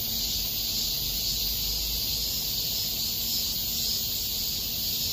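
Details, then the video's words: In Miraesarang Park, August 2021, cicadas keep up a constant sizzling high buzz that never breaks, with a soft low hum in the background. "공원 매미소리"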